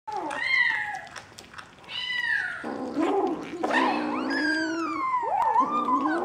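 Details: Bengal kittens at a cattery in St. Petersburg, Russia, filmed 11 January 2015, giving several overlapping high meows, some falling, some rising and sliding, with near-continuous mewing from more than one kitten.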